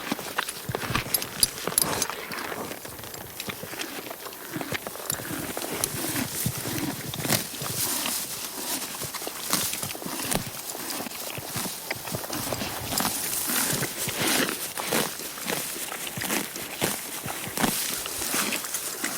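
A horse grazes, with steady crunching, tearing and chewing noises close by.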